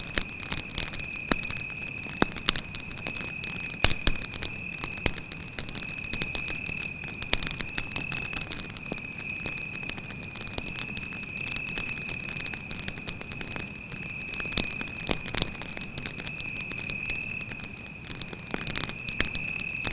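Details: A steady, piercing cricket trill drones on without pause at night in a forest by a campfire, while the flames snap and crackle loudly in irregular bursts.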